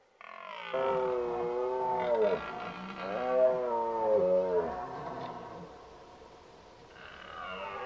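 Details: Red deer bugling in the rut, a loud, resonant roar that swells and dips in pitch through several pulsing phrases over about four seconds. It fades, then a fresh roar starts near the end.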